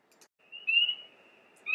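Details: A spring peeper at a vernal pool on May 1 gives a high, clear whistled peep that rises slightly, with another starting right after.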